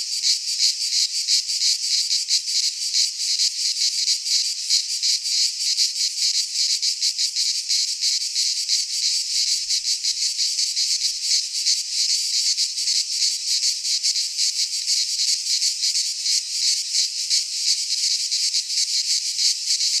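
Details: Midsummer chorus of cicadas in a pine forest in Greece, a steady high-pitched shrill drone made of fast throbbing pulses, unbroken for the whole stretch, no birds or people audible.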